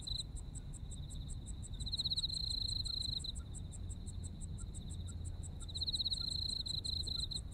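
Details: Autumn insects in Japan: a steady train of high, sharp pulses about four per second, overlaid by a continuous buzzy trill near the same pitch that swells and fades in bursts, over a low background rumble.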